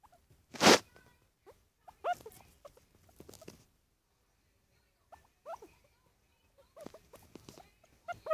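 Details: Pet guinea pig named Bubbles making noises while being stroked: short soft squeaky chirps and rumbling bursts in scattered clusters, with one loud rustle or handling knock near the start and quiet pauses between.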